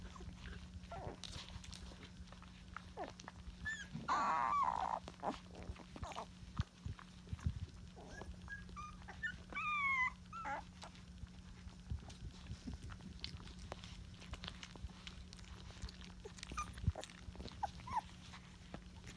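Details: Rottweiler puppies at day 20, one of Georgia's litter resting against a cheek; short high whimpers and whines rise and fall around the middle, with clicking handling noise, rustling and a steady low hum throughout.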